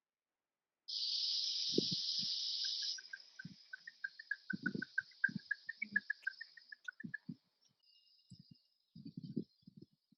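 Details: Eastern red bat echolocation, recorded with an Echo Meter at the Arnold Arboretum around July 2020, slowed down into a rapid train of soft, ticking chirps after a burst of hiss; fairly hard to hear.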